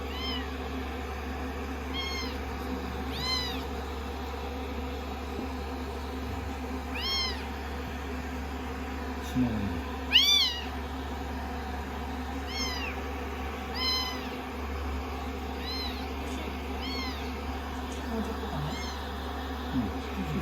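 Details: A long run of repeated high, descending meows from several rescued kittens on a lap after a shampoo and dry, day 16; a few soft human words and a low steady hum sit beneath the calls.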